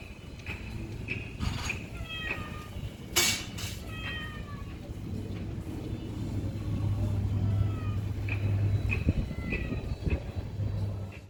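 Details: Several short meows from a stray neighbourhood cat, recorded on a Samsung Galaxy S9+ in 2019, come in quick irregular bursts over a low droning hum like traffic, with a sharp knock about three seconds in.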